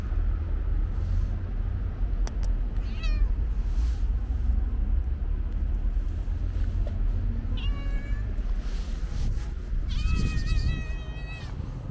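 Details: Street calico cat with white paws among her friends, stray cats being fed, meows three times, brief early call, a falling one midway and a longer level meow near the end, amid constant low urban traffic noise.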